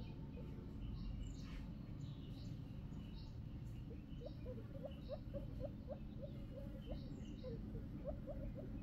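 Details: Young guinea pig making a string of brief rising squeaks from about four seconds on, some in close pairs, faint against a constant low-pitched background drone.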